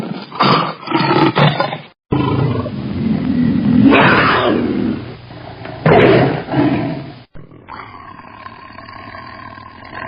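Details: Tiger letting out a few short growls, then two deep, swelling roars, ending with a cut to a faint, humming background.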